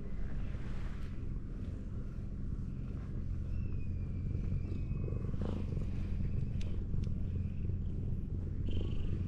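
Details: Belly-up ginger tabby cat propped against a wall as it is petted, giving a continuous low purr beneath faint scattered rustles and a few thin high whistled tones in the background.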